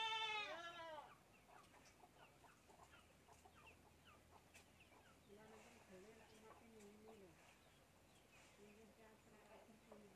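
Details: Young goat kid drinking milk from a bottle, giving a quick run of high, bright, wavering bleats in the first second, then quieter stepped voiced sounds mixed with soft clicks and background noise.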